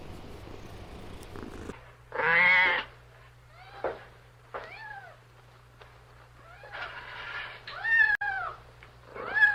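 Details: Kittens playing on green grass give a series of short, harmonic meows, one loud drawn-out cry near the start followed by softer rising-and-falling mews spaced a second or two apart, over a low steady hum.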